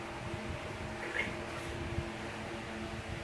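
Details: A steady fan-like hum fills a small indoor room, with a low mechanical drone and no animal voice.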